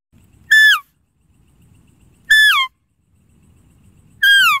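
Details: Three quick deer calls, about two seconds apart: high, bright, whistle-like notes that swoop downward, with soft low rumbling in the pauses.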